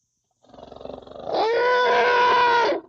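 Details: Young African elephant opening with quick pulsed grumbles, then breaking into one loud, steady, harmonic trumpet-like call lasting just over a second, rising slightly in pitch before cutting off.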